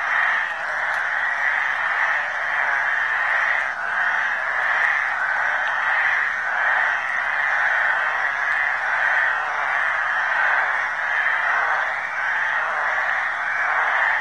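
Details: Mating chorus of flat-backed toads from a suburban creek in Lusaka, Zambia: continuous overlapping rasping trills in a mid-pitched band, steady in loudness with slight rhythmic pulsing throughout and no other clear sounds.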